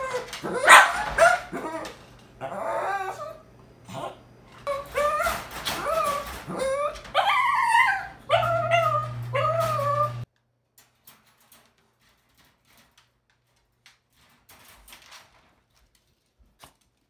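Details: Puppy trying to escape, making a rapid run of yips and whimpers indoors, high and wavering, loud bursts close together for about ten seconds, then near silence with only faint scattered sounds.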